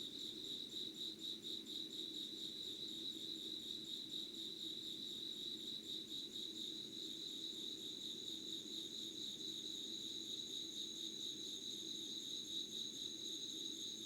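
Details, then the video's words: Insects singing at 05:00 on 25 August 2019 in Yugawara, Kanagawa: rapid high pulsed chirps, about two per second, early on, settling into a steadier trill with an added thin higher tone later, low hum underneath. "Sounds of insects with candle light.☆ろうそくの灯りと虫の声"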